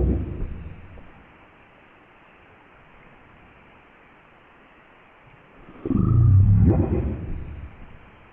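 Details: A blue whale gives a very deep, rumbling call that carries over vast ocean distances, used to reach others of its species, which live far apart and usually do not travel in groups.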